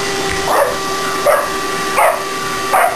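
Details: Four short, high yelps spaced about every three quarters of a second from a shop dog in training as it helps vacuum the shop, a constant vacuum cleaner drone beneath.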